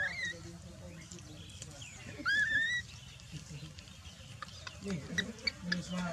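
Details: Dalton, a baby macaque left lying on the ground while mother Dolly ignores it, gives a short squeal and then one strong, wavering, rising wail, followed by faint ticks and soft low murmurs over steady low rumble.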